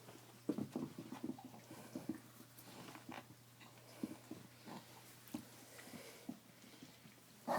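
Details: Two puppies, Face and Chief O' Reno, romp together on a bed among blankets, giving short, low, scattered growls and grunts in quick bursts, some slightly whiny, over a faint steady indoor hum.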